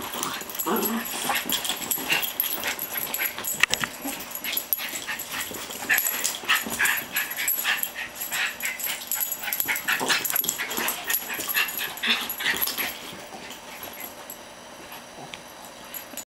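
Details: Norfolk Terrier, a year old, wrestling in loving fun with an 11-month-old Brussels griffon/border terrier mix: continuous fierce-sounding growls, snarls and yaps, dense and irregular, easing off in the last few seconds.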